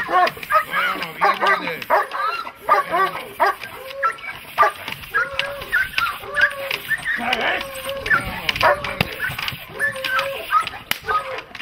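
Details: Dogs in protection training, German Shepherd and Malinois types, give loud repeated barks with short arched tones, mixed with people talking and handler commands in the background.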